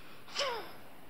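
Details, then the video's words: Domestic cat in a bad dream giving a single brief gasping cry that slides downward, a short strained whimper in an otherwise quiet indoor setting. "Cat Has a Bad Dream"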